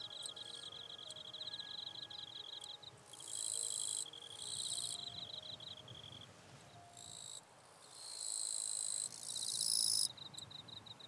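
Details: Eastern Japanese katydid singing in the wild in northern Miyagi Prefecture, Japan, late August 2024: rapid high ticking pulses running into a steady trill, broken by several loud, raspy, one-second buzzes.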